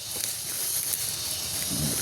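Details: King cobra hissing: a steady, breathy rush of airy noise, strongest in the high register, sustained without a break for about two seconds over a faint low rumble.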